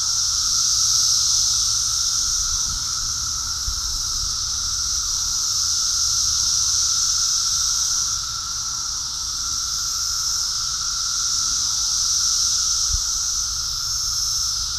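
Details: Masses of cicadas in New Jersey during an invasion, present everywhere. A continuous high, hissing drone swells and eases in waves, dipping briefly around the middle before rising again, over a faint lower tone and occasional low thumps.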